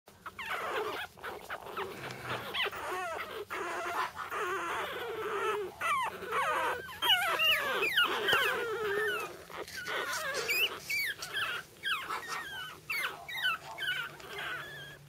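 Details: Sibling pug puppies whimper and squeal in a steady, overlapping chorus of high, wavering cries.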